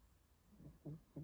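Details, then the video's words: Puppy napping curled in a blanket with her face hidden, letting out low snuffling snores indoors; two short nasal snorts close together after a faint rumble, in a quiet room. "My little puppy snoring"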